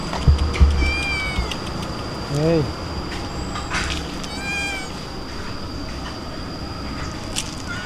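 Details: Cats excited as food reaches the dining table, calling out in two high, bending meows spaced a few seconds apart, over steady traffic hum and a person coaxing them to eat in Indonesian.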